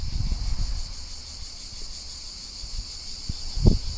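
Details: Countryside cicada chorus from a summer field recording: a thin continuous high buzz, softer here, beneath gusty low wind rumble and a sharp knock near the end.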